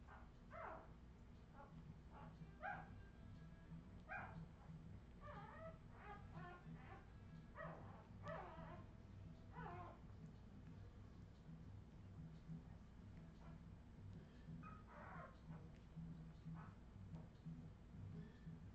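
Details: Australian Terrier puppies from Redwing, recorded in 2018, give short high yips and whimpering cries in irregular bursts, clustered in the first ten seconds and again near the end, over a steady low hum.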